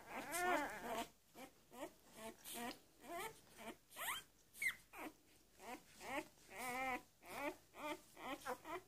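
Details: Newborn Labrador Retriever puppies of a B litter on their first day, giving rapid high-pitched squeaks and whines in quick succession, roughly one every half second, with soft rustling between.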